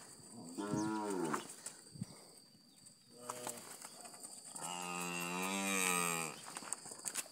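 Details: Calves, one of a group of 50 in Patos, Paraíba, bawl three times: a wavering moo, a brief grunt-like call, then a long, drawn-out, slightly falling moo, over a steady high background hiss.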